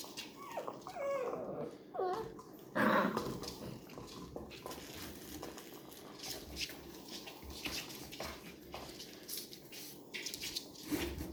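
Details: Labrador retriever puppies indoors, getting to know strange noises: high, wavering whimpers and squeaky whines cluster in the first three seconds, followed by rustling, shuffling and scattered clicks.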